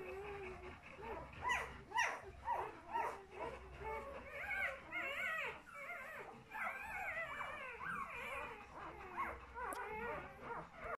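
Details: Young puppies only days old, giving a busy series of high whimpering and yipping calls, some short and rising, others wavering, overlapping irregularly about twice a second with brief pauses.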